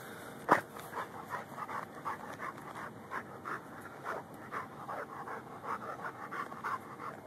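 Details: Lou, a Rhodesian Ridgeback and Bull Mastiff mix dog, hunting and digging for a pocket gopher, recorded on a Samsung Galaxy S3; steady quick panting, breathy pulses roughly three per second, one sharp click early on.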